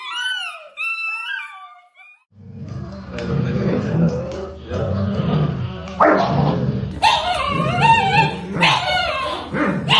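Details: Dog giving a few high, sliding whines, then a burst of rough, rapid barking and yipping mixed with thumps and clatter. Later barks turn higher and more strained.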